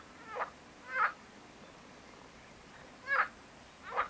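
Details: Marsh frog (Pelophylax ridibundus) giving four loud, rasping, pulsed croaks in two pairs, each burst short and harsh, separated by quiet gaps of about two seconds.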